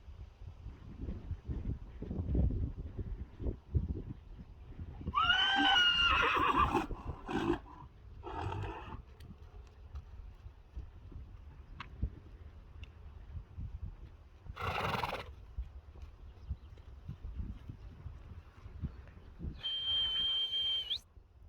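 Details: Friesian horses brought in from the field in the morning after sleeping outside for the first time, herd behaviour as one wants to come along. A loud, wavering whinny, then shorter bursts and a later whistled tone, over trampling hooves and brief speech.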